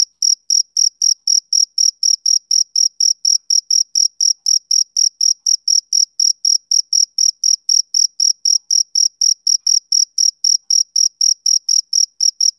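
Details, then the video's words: Summer-evening chirping of a male cricket: an unbroken train of bright, high-pitched pulses at about four per second, very even in rhythm, against total quiet. "Cricket Chirping Sound Effect"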